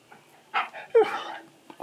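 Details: Key the Husky, indoors, vocalizing to ask for more churros after his first taste: a short huff followed by a whiny, sliding moan, then a faint murmur at the end.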